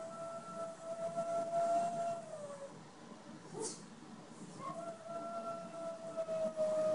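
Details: A male Boston Terrier gives long, steady howls, crying for his mate, another Boston Terrier, who has left for surgery.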